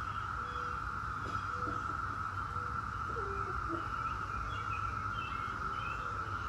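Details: Brood X periodical cicadas, the 17-year cicadas, in a steady unbroken droning chorus holding one pitch throughout, with scattered short bird whistles and a low rumble of background noise beneath.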